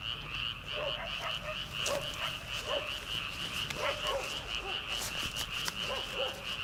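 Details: Frogs calling in rice paddies on an early summer night ahead of transplanting; a continuous pulsing high trill runs under short repeated croaks and clicks from many frogs, with a soft hiss of night air.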